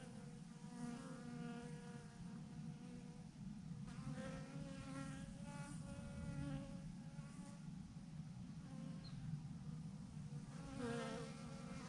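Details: A massive swarm of honey bees clustered by the thousands on a branch: continuous deep humming drone, with wavering higher whines from individual bees flying close and fading away.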